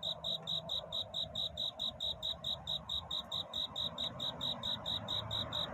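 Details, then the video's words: Night-time cricket courtship song, a song in search of love: evenly spaced shrill chirps, roughly two every second, ringing high over a faint low background rumble. "편안한 잠을 부르는 귀뚜라미 울음소리. 슬퍼 말아요 우는 것이 아니라 사랑을 찾는 노래랍니다"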